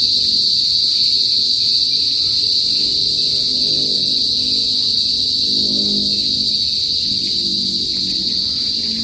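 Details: Loud chorus of Philippine cicadas, known locally as kuliglig, in a northern provincial area: an unbroken shrill, high-pitched buzz, slightly pulsing, over soft low murmurs and faint background sounds.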